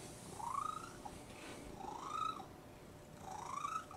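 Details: Domestic cat squeaking while purring, three rising squeaks about one and a half seconds apart riding over a soft continuous purr.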